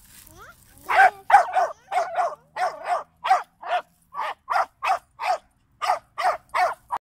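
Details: Jack Russell Terrier puppy from Greece, worked up while hunting a large turtle, gives a long, rapid run of around sixteen shrill, clipped barks with brief pauses.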